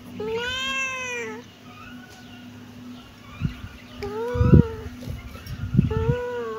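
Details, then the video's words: Kitten meowing three times with high, arched cries that rise and then fall, mixed with soft thumps and knocks in between and a constant low hum. "cute kitten meowing|kittens meowing sound effect"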